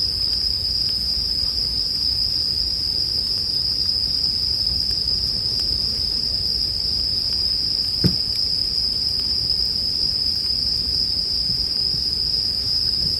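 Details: Steady, shrill bell cricket chorus ringing continuously at a single high pitch, paired with a low murmur of burning wood and one louder crackle of the campfire about eight seconds in.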